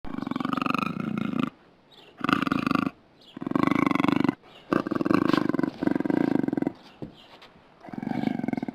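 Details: Puma giving a series of harsh, buzzy, pulsed growling calls, about six bouts each lasting around a second, separated by short silences.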